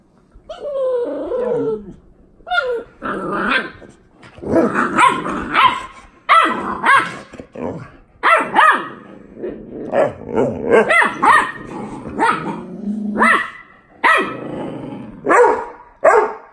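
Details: Boxer puppy play-fighting with his big sister, irregular bursts of barks and rough growls tumbling over one another, some yelping rises, near-continuous scuffling noise between calls.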